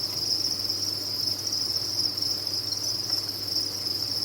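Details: Crickets kept on a cricket farm, producing a dense, unbroken chorus: a steady, shrill high-pitched trill with no pauses, over a faint low mechanical hum.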